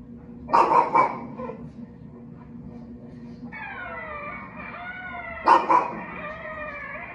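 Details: Male Shih Tzu/Pekingese mix dog indoors while watching TV: a burst of three sharp yapping barks, a pause, then two more. Squeaky, warbling tones from the TV play in the background.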